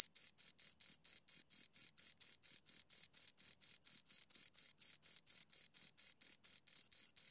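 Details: Steady cricket chirps repeating roughly four times a second, each short high pulse ringing with a thin upper harmonic, a regular mechanical rhythm with no other sounds present.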